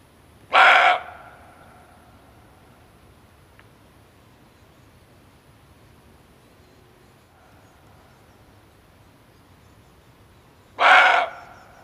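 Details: Single harsh barks from a male barking deer, a sound used to lure game when hunting, spaced about ten seconds apart, each abrupt and brief with strong harmonics, separated by a low steady hiss.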